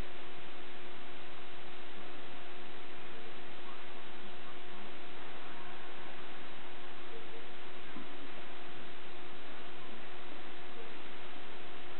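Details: Steady electronic hiss continues throughout, with two constant hum tones and a few tiny rustles.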